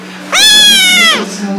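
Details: Young domestic kitten giving one loud, bright meow lasting about a second, level in pitch and then dropping at the end, over a constant low electrical hum; the kittens are described as hungry, scared, lonely or angry.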